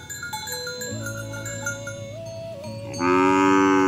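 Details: Cattle herded toward the farm barn: after a stretch of quiet instrumental music, a sudden loud, full-throated moo bursts in and holds steady through the final second.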